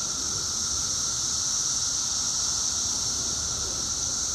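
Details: Periodical cicadas of the 17-year brood, two weeks out of the ground and at their loudest, forming a dense, unchanging high-pitched drone with no pauses.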